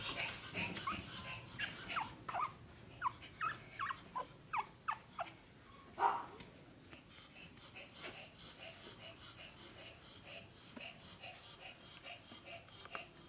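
Pomeranian puppies give high, squeaky whimpers and yips in quick succession, then quieter murmurs.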